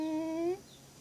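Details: Stitch, a pet dog sitting on a lap indoors and 'talking' to ask for treats, gives a single sustained, slightly rising tonal moan with clear harmonics, lasting about half a second before cutting off into a quiet room.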